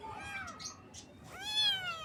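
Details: Young kittens in the morning give two meows in quick succession, the first falling away, the second rising then gently dropping, both high and clear over soft background hiss.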